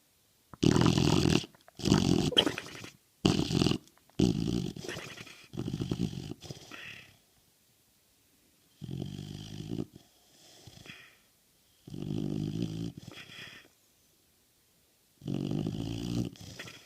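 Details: Nixie, an American Bulldog, snoring: loud, low rumbling snores with a harmonic buzz, in bursts of roughly a second separated by short quiet gaps, some fainter breaths between.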